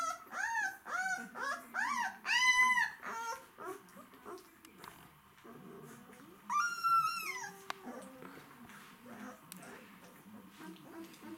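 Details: A plump, hungry White Swiss Shepherd puppy whines in a quick series of high, rising-and-falling nasal whimpers.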